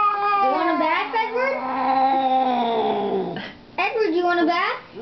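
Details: Chatty house cat talking a lot indoors: a long, loud, drawn-out wail lasting over three seconds and falling at the end, then a shorter rising-and-falling meow, with a person speaking softly.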